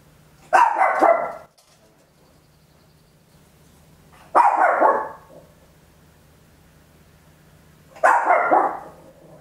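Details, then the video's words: Small Papillon dog barking very loudly at home, recorded in stereo on an Olympus LS-11: three loud, harsh bursts spaced about four seconds apart, each with quick stacked yaps, separated by near-silent pauses with a faint low hum. "Tiny Dog Barking Very Loud, Papillon"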